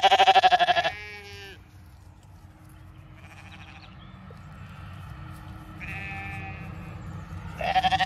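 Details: Large ewe flock on a County Kilkenny farm in Ireland at feeding time: a strong, wavering bleat opens, a quiet stretch with distant softer bleats follows, and another loud bleat closes.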